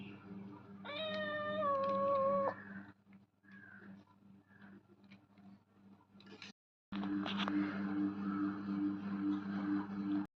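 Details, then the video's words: Domestic cat gives one clear, level meow near the start, followed by scattered clicks and rustling, then a stretch of broadband noise, all over a constant low hum. "meow ❎ AeoOoowwnN✅"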